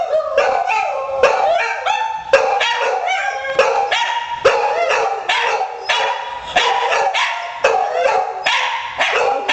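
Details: Household dogs Buddy the hound and Courage the poodle react to a missed-call ringtone; rapid repeated barks and yips, roughly every half second, with short howling slides between them.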